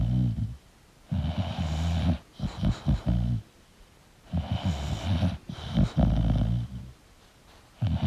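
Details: A sleeping English bulldog snores deeply, with low rumbling breaths repeating about every three seconds.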